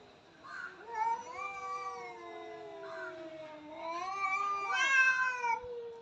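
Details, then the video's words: Fighting cat giving sustained, whining yowls that slowly rise and bend, swelling louder toward the end with a higher, strained peak before easing down. "cat fight sound effect"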